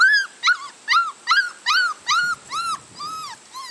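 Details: Whining six-week-old Labrador Retriever puppies, freshly vaccinated, give about eight arched, tonal whimpers in quick succession, roughly one every half second. The cries fade slightly toward the end.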